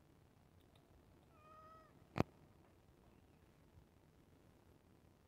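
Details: Pet cat waiting for iftar gives a single level, harmonic meow, followed at once by a loud sharp click, then quiet room noise.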